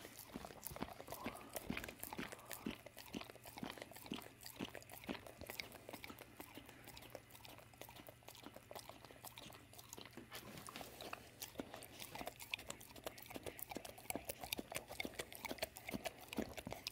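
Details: Evening peanut butter snack for Dawg, a female pitbull mix of American Staffordshire and American Bulldog; dense, continuous lip-smacking and sticky tongue clicks throughout, busier toward the end, faint low hum in a small room.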